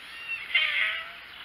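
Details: Male tabby domestic cat playing roughly with its owner: one drawn-out, slightly nasal meow lasting nearly a second, steady in pitch then fading, with no other sounds.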